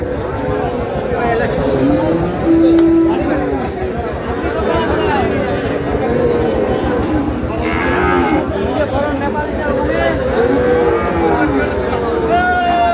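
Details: Sahiwal calves at a Chittagong cattle market, Bangladesh: several long, wavering moos rise and fall across the recording amid loud crowd chatter, shouted bargaining and background voices.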